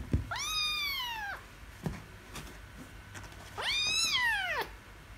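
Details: Kitten screaming and meowing after losing a wrestling match: two loud, drawn-out arched meows about three seconds apart, bright and strained, with light knocks between.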